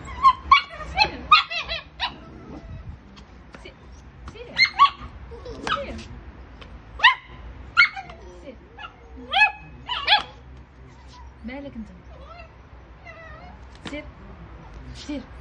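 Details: Puppies give high, squeaky yelps and short barks in quick bursts while a person nearby tells them to go and not to come into the house.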